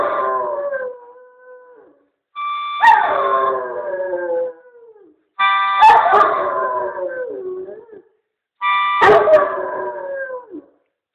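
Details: A male Weimaraner "singing": long, wavering howls that slide downward, each lasting about two seconds.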